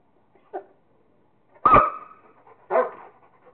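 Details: Rottweiler Kingston at play with a squirrel gives a short soft yip, then a strong harmonic bark with a drawn-out tail, and a second rougher bark about a second later.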